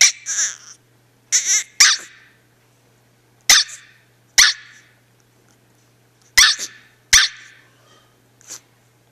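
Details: A female dog reacts to her owner walking away with about seven short, high, sharp barks and yelps in uneven bursts, with brief silences between and a low steady hum underneath.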